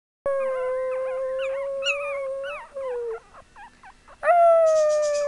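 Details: Chihuahua puppies howling: a long steady mid-pitched howl, then a run of quick wavering yips, and finally a second sustained howl that starts sharply and slowly fades.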